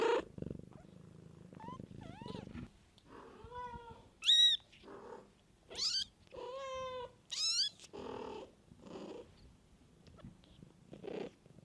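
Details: Kittens with their mother cat in the wild: a low rumbling purr opens, then a series of short, high, arching mews, some steep and piercing, spaced about a second apart, with softer breathy sounds between.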